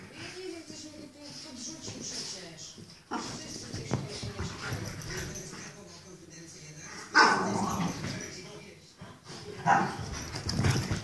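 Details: French Bulldog, described as crazy, giving a thin whining call early on and short vocal sounds among snuffles, with a person talking over much of it.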